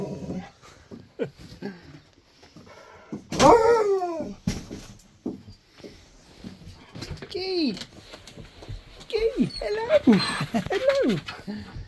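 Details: Pet Siberian Husky picking up its best friend in a new vehicle, whining excitedly. High, arching whimpers and yips come in bursts, with a man talking and exclaiming throughout.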